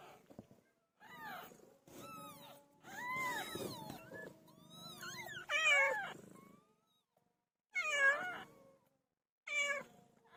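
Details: Pet cat named PILO around the time she gave birth: a series of high, wavering meows, some rising then falling, in irregular bursts separated by short silences, over a low background rumble.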